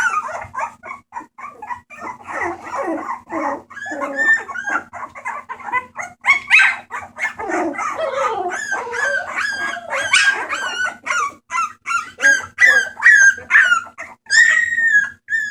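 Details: Bulldog puppies at a rescue on 28 March 2014 whine and squeal in a busy, overlapping chorus of high, wavering cries.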